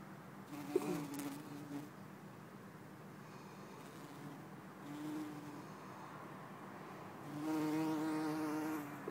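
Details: Bumblebee, Bombus hortorum or Bombus terrestris, filmed in Lisbon on 4 December 2011: a faint low buzz drifts in and out with a few clicks, then a loud, full droning hum near the end as the bee comes close.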